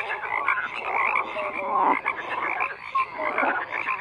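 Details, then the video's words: Frogs croaking in a dense chorus: overlapping raspy croaks blend into a steady wall of sound, with brief tonal notes rising out of the mix now and then. "FROGS CROAKING"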